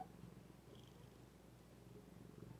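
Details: Soft, continuous low purring from Zephy, a female pet cat, held evenly throughout with a faint rhythmic pulse and no other clear sounds.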